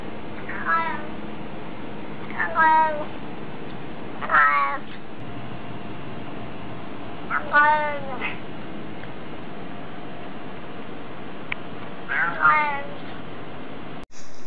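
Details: Cat saying hello with short, bright meows that slide downward, five of them spaced about two seconds apart, over a steady low hum, a person's voice urging it to say hello.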